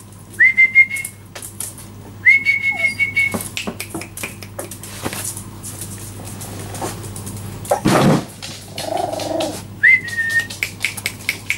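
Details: Four-week-old Jack Russell Terrier puppies, just beginning to walk over the last four days, give high, thin squeals held level for about a second, three in all, amid handling thumps and rustling.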